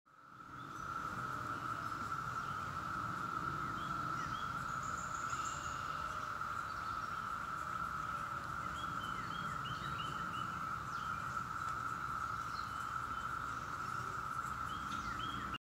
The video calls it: Sound of cicadas